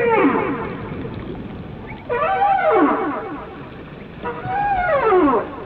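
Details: Whale singing in three loud harmonic phrases, each an arching sweep that climbs and then slides steeply downward, coming about every two seconds over constant background hiss.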